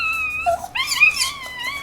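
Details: A 3-week-old female Chihuahua puppy, napping upside down with her litter, hears a distant ambulance siren and gives a thin, high, wavering howl that rises and dips.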